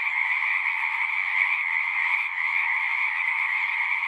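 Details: Frogs singing in a dense natural chorus, a steady unbroken wall of trilling croaks concentrated in two bright bands, one high and one lower, with no pauses and no other sounds.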